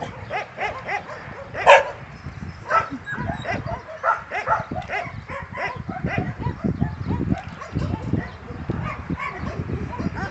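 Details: Domestic dog playing tug, giving a rapid, irregular stream of short, harsh barks and growly bursts, several each second, with one sharper, louder yelp early on.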